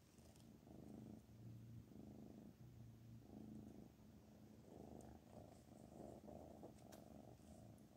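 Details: Black Panther the cat purrs contentedly indoors, a deep buzzing rumble swelling and fading with each breath roughly every second, with a faint click or two.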